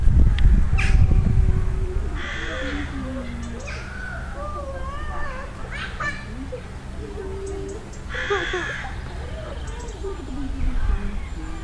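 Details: Agile gibbons at a wildlife park in County Cork, Ireland, call in looping, quavering notes that swoop up and down in pitch, in short runs, with rougher caw-like bursts and faint human voices behind.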